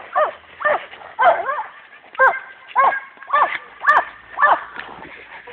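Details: Attack training with Dogo Canario champions Hena and Dagmar: sharp, loud barks repeat roughly twice a second in a steady, insistent series, with a handler's voice faintly underneath.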